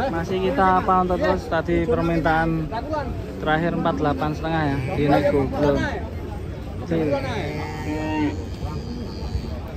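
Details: Giant cattle moo repeatedly in short, uneven lows mixed with people chattering nearby at a cattle fattening center, voices often overlapping the animals.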